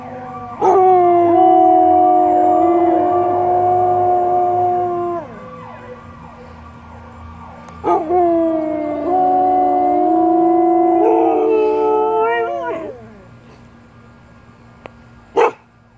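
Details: Several Samoyeds howling together like a barbershop quartet, with another dog joining in: long sustained harmonic tones held for seconds, breaking off, then rising again in a second drawn-out chorus.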